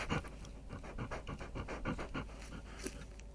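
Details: An Indian crested porcupine, recorded at an unprotected site in the Al-Jouf region of northern Saudi Arabia, gives rapid, breathy huffs and soft grunts in a steady panting rhythm.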